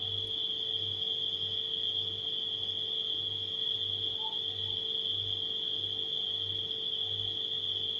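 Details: Nighttime crickets in a steady, unbroken high-pitched trill, mixed with a low refrigerator hum that pulses softly about once a second, plus a faint mid-range electrical tone.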